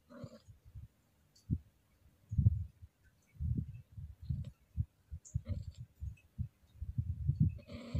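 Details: A female Scottish Fold in heat croons in her throat while being stroked gently, a run of low, throbbing grunts in uneven bursts, with brief brighter moans at the start and end.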